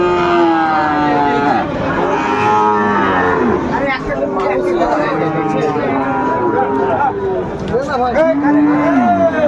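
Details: Sahiwal bull calves at Ambari cattle market, 13 January 2025: several overlapping moos, some long and level, others bending downward, follow one another almost without pause over crowd chatter and market noise.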